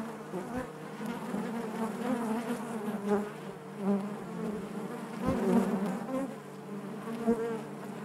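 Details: Inside a honey bee hive, a thick steady hum of many bees, the droning tones wavering slightly, with brief louder swells near three, four and five and a half seconds as bees pass near.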